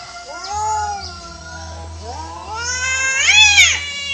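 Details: Free-roaming cats fighting naturally, an orange cat losing; drawn-out harmonic yowls waver and rise, with a shrill climbing wail near the end over a steady low hum.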